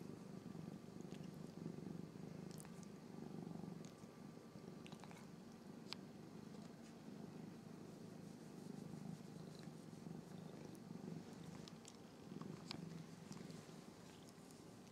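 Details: Two Norwegian Forest Cat siblings groom each other, a long unbroken low purr droning evenly throughout, punctuated by scattered short licking and rustling clicks.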